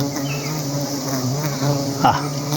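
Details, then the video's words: Steady droning hum of honey bees at a hive (putyukan), low and even with stacked harmonic tones, and a short knock near the end. "putyukan 🐝🍯"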